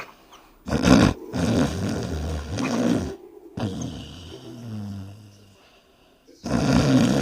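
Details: Sleeping dogs snoring with flapping lips, from a compilation: loud, rough, fluttering breaths in bursts of one to two seconds, split by abrupt cuts and short silences, with a low rumbling hum under each breath.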